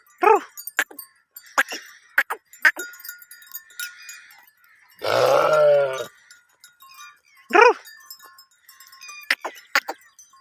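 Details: Sheep herd during mating: many light metallic bell clinks scattered throughout, broken by one drawn-out, wavering bleat lasting about a second near the middle.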